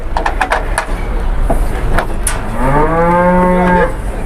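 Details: A big cow rampaging as it is brought down off a truck gives one long, deep moo that rises then holds steady for over a second, after clattering knocks and shuffling.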